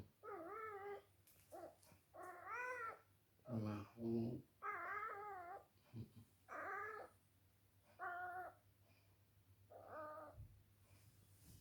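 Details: Sleepy female cat enjoying being carried around indoors gives a series of about eight baby-like meows, mostly wavering and drawn out, some short and choppy, spaced one to two seconds apart, with a woman's soft talk between them.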